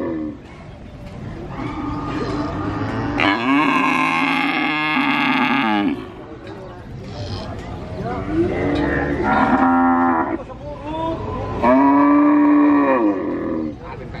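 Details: Calf at a cattle market in Purwokerto, Indonesia, mooing continuously, with an adult cow nearby calling less often; several harsh, drawn-out moos of varying length, ending in a clear tonal moo, with market background noise.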